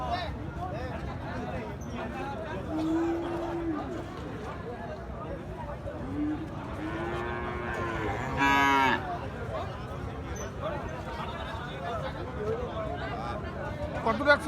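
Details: Gir and Sahiwal breed bull calves suited for farming at the Ambari cattle market, held Fridays and Mondays; a few drawn-out, low moos rise and fall over bargaining voices, crowd chatter and background music.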